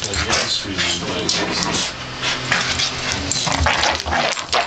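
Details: Two Staffordshire Bull Terriers playing tug with a blanket, growling: continuous low, rumbling growls with snorts, mixed with loud rustling and thrashing of fabric throughout.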